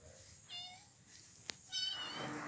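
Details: Domestic cats and kittens welcome someone coming home, as happens every day; two short tonal meows are heard, the second louder and bright, separated by a sharp click, with soft household background noise.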